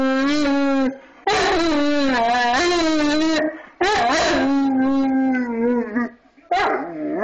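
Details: A 230-pound male Bullmastiff howling along as a harmonica plays Twinkle Twinkle Little Star: long, wavering, tonal howls with rich harmonics, several drawn-out phrases broken by short pauses.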